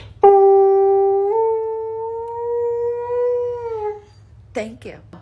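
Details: Siberian Husky howling indoors when its owner asks for a whoop: one long, steady, mellow tone of about four seconds, rising slightly midway and dropping at the end, followed by a couple of short yelps.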